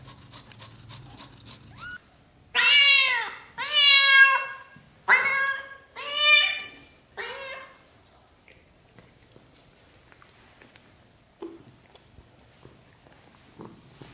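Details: British shorthair kittens, black golden and blue golden, growing up from birth to 30 days old: five loud, harmonic, wavering meows in quick succession, about one per second, each bending up then down, followed by quiet shuffling.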